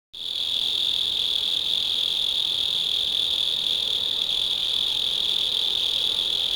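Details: Mole cricket singing at night in a house garden, creatures that live underground; a continuous, steady high trill held without a break for the whole stretch.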